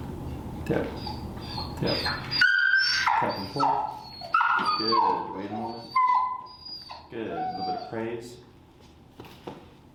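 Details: Vocal feral dog Finnegan during a place-command lesson with an e-collar: sharp high whines, some steady and some sliding downward, break out again and again between a trainer's spoken instructions indoors.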